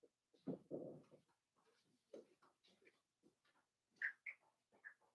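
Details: Blenheim Cavalier King Charles Spaniel puppies, a litter of five born on New Year's to Paris and Spike, in an indoor puppy pen: soft grunts and snuffles, then several short high squeaky whines near the end.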